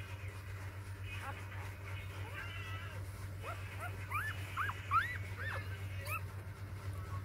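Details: Newborn puppies, one of a litter of six on their fourth day, give thin upswept squeals that come in scattered bursts, rising then dropping, over a steady low mechanical hum.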